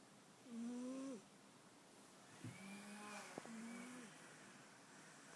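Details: A cat snores softly, each breath a short buzzy tone; two snores are separated by a low hum, with a couple of sharp little clicks in between.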